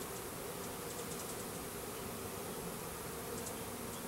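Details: Russian/Carniolan hybrid honey bees, a 3-pound mail-order package of about 10,000 workers with one queen, being installed in a new hive in April 2012; a steady, low droning hum runs evenly throughout with no breaks.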